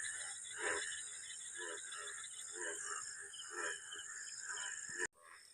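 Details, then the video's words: A chorus of frogs croaks in short, throaty bursts over a steady high insect drone, from a waterlogged village field in Bengal on a rainy afternoon under overcast sky; frogs calling as rains set in. "শুনেছি নাকি ব্যাঙ ডাকলে বেশি বৃষ্টি হয়। ব্যাঙের আওয়াজটা শুনতেই পাচ্ছ তোমরা।"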